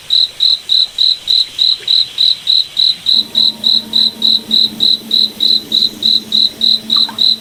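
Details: Forest cricket at night producing evenly timed high chirps, about three and a half per second, while a faint low hum runs beneath the second half.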